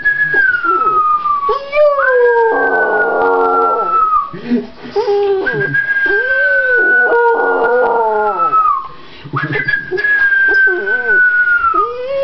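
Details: Rottweiler howling mournfully: long drawn tones sliding slowly downward, broken by wavering higher wails and short yelping rises, nearly continuous over twelve seconds; a person seems to join in with howl-like sounds alongside the dog.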